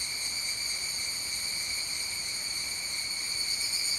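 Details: Evening cicada (Tanna japonensis) song in the evening at 19:12 on 29 July: a steady, ringing, high-pitched tone that carries unbroken from start to finish.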